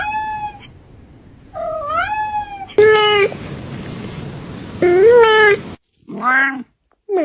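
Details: Domestic cat making weird, funny noises indoors: long wavering meows that rise and dip in pitch, some drawn out into strained caterwaul-like wails, separated by short gaps; abrupt cuts between segments.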